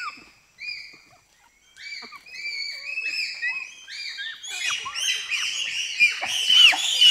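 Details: Group of four to six pygmy chimpanzees shrieking and screaming in reaction to being presented with sugar cane; high, sharp overlapping cries start sparse, then build into a dense, frantic chorus of piercing shrieks toward the end.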